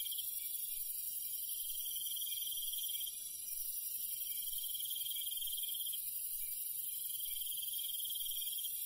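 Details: Crickets calling at night in the countryside: a sustained high insect chorus, with a pulsed trill that sounds in stretches of a couple of seconds and then pauses briefly.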